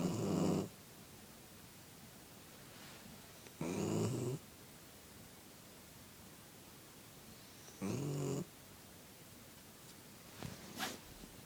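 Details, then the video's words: Puppy asleep and snoring, with three rough, buzzy breaths spaced about four seconds apart, then a few faint soft clicks near the end; the room is quiet between snores. "Snoring puppy"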